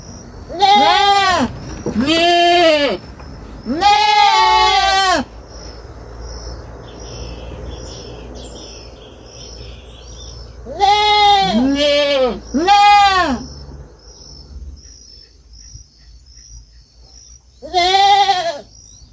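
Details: Kid goat on a farm repeatedly bleating in loud, quavering bursts, often paired, spread across about eighteen seconds, with quieter rustling and a faint high hum between calls.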